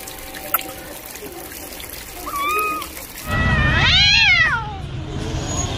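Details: Cat in a noisy setting: a soft, level meow, then a loud, long meow that arches up and down, with steady background noise throughout.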